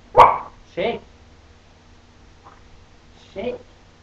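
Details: A female puppy barks once sharply at the start while performing tricks for treats. Short bursts of a woman's voice follow after it.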